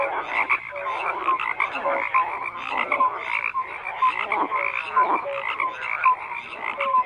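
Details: A chorus of numerous frogs, rattling croaks packed tightly together with repeated short clear tones popping out above the din roughly every second.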